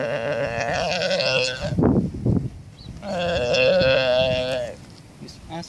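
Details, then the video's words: Galápagos sea lion pup in the Galápagos Islands crying to its mother for milk: two long, wavering, bleat-like wails each lasting over a second, separated by a brief burst of noise, with a man speaking. "Seal Lion Cries for Mother's Milk"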